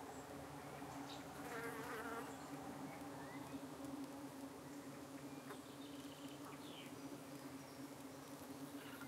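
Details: Honey bees at a UK hive on an evening when parasitic flies darted in and tried to settle on their abdomens while the bees defended themselves; a steady low droning hum continues throughout, with a few faint bird chirps near the start.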